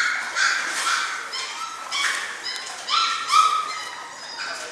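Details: A litter of German Shorthaired Pointer puppies at six weeks old whimpers and yips, short high harmonic cries rising and falling at an irregular pace, several pups calling over one another.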